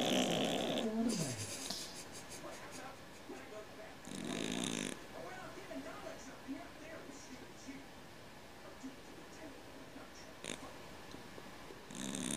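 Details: Domestic cat snoring like a man, indoors: rough, noisy snore breaths come roughly every four seconds, each about a second long, with quiet breathing between them.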